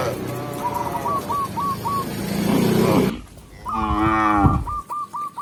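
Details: Tame cow walking into the pen with a village shepherd, rumbling noise at first, then one strong, full moo, with short high chirps repeated before and after.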